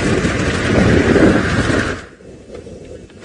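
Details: A loud broadband rumble and crackle, like a vehicle or wind buffeting, cuts off after two seconds into quiet background noise, with no animal call heard.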